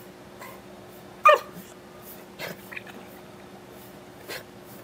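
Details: Excited Beagle, Root, during a trick session at home; one loud short yelp or bark, then softer huffs and whimpers spaced over a few seconds in a quiet indoor room.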